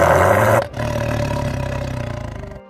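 A tiger roars: a loud, rough blast that settles into a deep, rumbling drawn-out growl.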